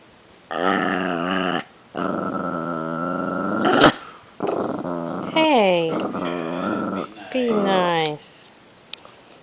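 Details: Chihuahua growling while getting acquainted with another dog and trying to play nice indoors: long rumbling growls in sustained bursts, then shorter sliding whiny notes, with a person speaking nearby.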